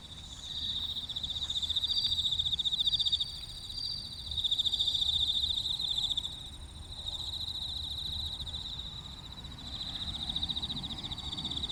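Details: Bell crickets at the Kinokawa service area in Wakayama, Japan, giving a continuous high, ringing trill with a rapid pulsing shimmer, swelling and fading in waves over a low rumble of background traffic noise.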